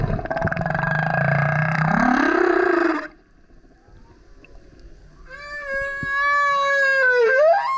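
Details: Humpback whale, a male singing loudly near a kayak, gives a deep rough roar that slides upward into a moan, then after a pause a clear harmonic howl that dips and swoops up at the finish.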